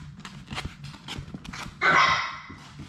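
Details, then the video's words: A Labrador Retriever puppy from Sadie's litter of six, playing in an indoor play room, gives one sharp, loud bark after a run of soft tapping and scuffling, ending in a short ringing tail. "Labrador puppies at play!"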